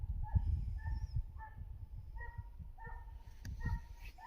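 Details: Finnish Hound baying while chasing a hare on a hunt in Finland, the sound carried by the wind: distant, ringing barks repeated in quick irregular series over low rumbling outdoor noise.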